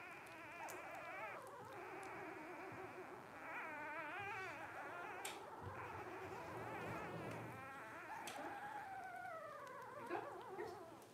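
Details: Litter of five 12-day-old Blenheim Cavalier King Charles Spaniel puppies, born to Paris and Spike at New Year 2023, indoors; overlapping wavering, whistly whines and squeaks run almost continuously, several voices at once, some sliding downward.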